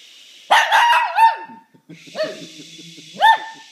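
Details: Sneeze-triggered Shih Tzu letting out a drawn-out wavering bark that slides into a short howl, then two more yelping barks, with a low hum underneath.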